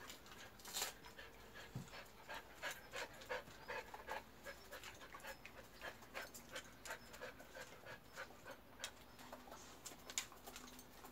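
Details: Jindo dogs enjoying oriental melon, heard in quick, irregular panting and wet chewing clicks, roughly 167 a minute, with one brief human remark near the start.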